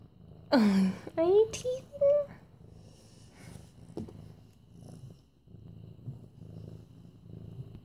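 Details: Several loud high voiced sounds open the recording, then a soft low purr rumbles on in bursts from Mufasa, an almost 8-month-old medium-hair orange tabby being stroked on September 28, 2015.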